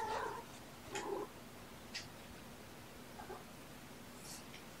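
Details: Sleepy kittens born November 22, surrendered with mother Olympia, on 13 February 2018 while receiving scratches; two quick mews about a second apart, then soft taps and a faint later squeak over steady room hiss.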